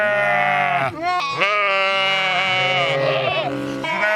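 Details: Sheep bleating in one long, wavering, richly harmonic cry lasting about four seconds, with brief breaks near the first second and a rougher, tremulous passage toward the end.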